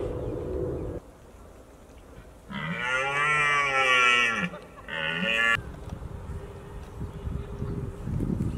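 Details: Red deer stag roaring, or bolving, at the peak of the October rut in Britain while holding a harem of hinds: one deep, drawn-out groaning bellow of about two seconds, then a shorter second roar, over quiet outdoor background.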